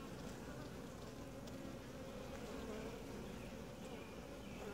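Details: Calm, gentle honey bee colony buzzing while its hive is opened for inspection: an even, unbroken low drone that holds level for the whole stretch, with a mid-pitched humming band on top.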